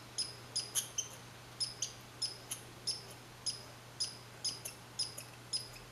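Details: Red squirrel calling on 15 July 2020 at Saint-Calixte, Lanaudière: short high squeaky chirps with bright overtones, about two per second, over a faint steady low hum.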